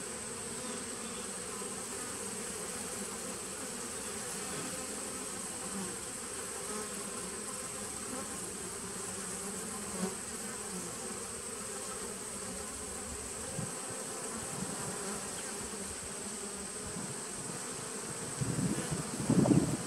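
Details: Steady colony drone from a 2017 honey bee nuc, recorded 19 September 2018: an even low buzzing murmur for most of the stretch, a few faint knocks, then louder rustling handling noise at the close.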